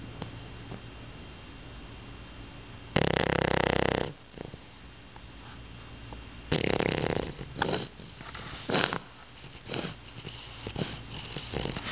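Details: Loud snoring from a sleeping pet dog: one long harsh rasp, then a quiet gap, followed by a run of shorter, uneven snorts and snuffles that keep breaking off and restarting.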